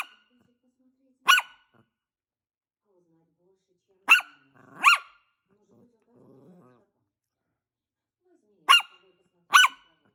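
A Maltese gives sharp, high-pitched yaps, some singly and some in quick pairs.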